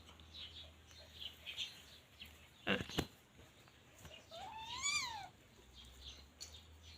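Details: A teething Scottish Fold kitten at play gives a single drawn-out meow, rising then falling over about a second. A sharp knock comes earlier, and faint high chirping sounds in the background.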